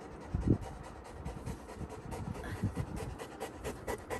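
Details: A Labrador Retriever puppy panting while being wiped with a cotton cloth after ear drops; steady, breathy rhythmic puffs, roughly two or three per second, with a few louder thumps.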